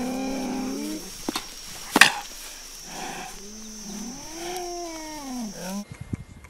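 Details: A cheetah in the savannah gives drawn-out, tonal mewing calls that rise and fall, with a sharp click partway through.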